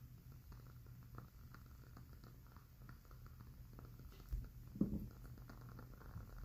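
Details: Domestic cat drifting off to sleep indoors, a faint low rumbling purr running steadily beneath sparse ticking crackles from a burning candle, with a louder pop near the end.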